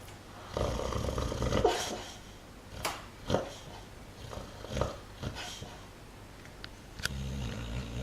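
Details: A dog asleep and dreaming, snoring and twitching as if running in its sleep: low rumbling breaths broken by soft, growly snorts that swell and fade about once a second, over a steady low indoor hum.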